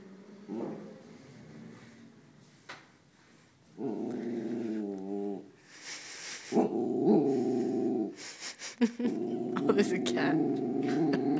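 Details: An 8-month-old female West Highland White Terrier guarding the house gives long, rumbling, wavering growls in three sustained bouts of one to two seconds each. A woman speaks between and over them.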